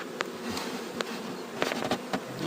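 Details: Honey bee swarm being moved and settled into a borrowed hive box on a farm: a steady, diffuse low hum of many bees, broken by sharp knocks and clicks from handling equipment.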